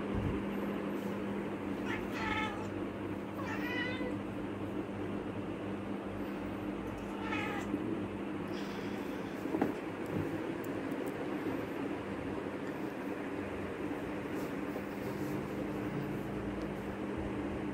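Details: Rescued kitten meowing while hunting a gecko indoors: three short, rising-falling mews, two close together early on and one a few seconds later, over a steady mechanical hum.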